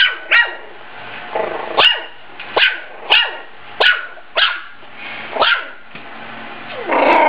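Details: A Yorkie and a Maltese compete in a speed-eating contest as one dog repeats shrill, clipped barks roughly every 0.7 seconds, about ten in a row, in a quiet indoor room.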